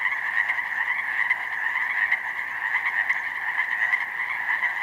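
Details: Pacific chorus frogs calling en masse in spring from a meadow flooded by snowmelt, a multitude of young frogs; continuous layered ribbiting forms a thick, even drone with scattered louder individual croaks poking through.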